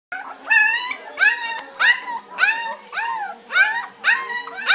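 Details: Two-week-old German Shepherd puppies, eyes just opening, give high whining cries. Each arches up and then falls, with bright layered overtones. Six cries come in steady succession, roughly one every 0.7 seconds, in a quiet room.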